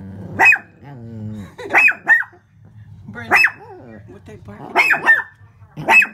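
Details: A Shih Tzu reacting to its reflection in the window with high, sharp barks in short clusters, while a woman speaks softly in the gaps between them.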